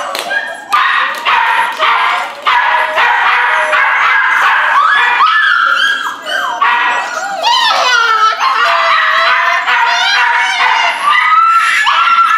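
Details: Several rescue pups of Corgi Airedale mix yipping in quick bursts, then drawn-out wavering whimpers that rise and fall, with some human voices in the background.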